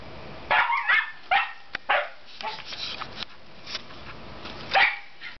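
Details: Barking from two Scottish Terriers: a few loud, sharp barks at the start and near the end, with softer scuffling and faint noises in between.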